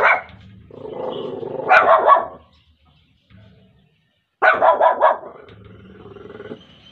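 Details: Shih Tzu named Muffin barking indoors; two bursts of sharp, rough barks about three seconds apart, each burst a quick run of three or four barks, with a low growly rumble between them.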